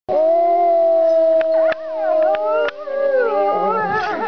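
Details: Captive gray wolves at a wolf sanctuary in Golden, British Columbia howl in long, steady tones that overlap, one voice sliding down near the end.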